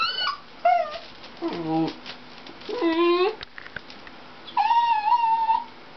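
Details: Dixie the Dachshund whining at a Toyota chase commercial on television: a string of harmonic, howl-like whimpers, some sliding downward and others held and wavering, with brief gaps of quiet between them.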